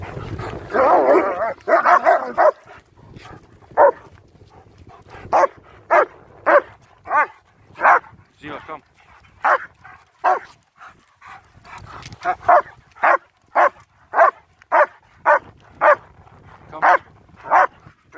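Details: Two German Shepherds, Nico and Zeeva, on a winter walk in Hawick, Scotland, filmed on a phone: a run of sharp, short barks, a burst of about 105 a minute at uneven spacing, with a person's voice early on.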